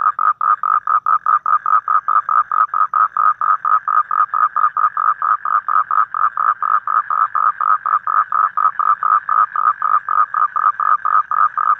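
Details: Evening toad chorus outdoors in nature: an unbroken series of short, nasal, mid-pitched pulses, roughly four each second, very even in pitch and loudness throughout.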